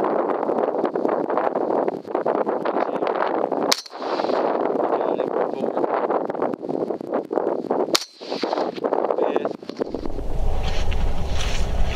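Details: Two sharp gunshots cut through steady outdoor noise and muffled voices, followed by a burst of wind-like rumble.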